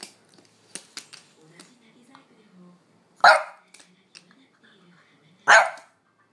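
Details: French Bulldog named Amelie barking to demand a walk while her owner lingers, though she is usually quiet; two sharp, loud barks about two seconds apart, preceded by soft clicks and rustling.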